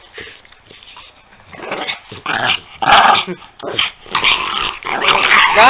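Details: Two French Bulldogs playing indoors, giving rough rumbling growls and snorting bursts in irregular bouts, with a man calling another dog and praising it in the background.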